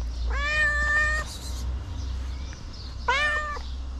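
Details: Little feral street kitten standing up to lick fingers; two meows, the first long and level, the second shorter with a sharp rising start, over a steady low hum.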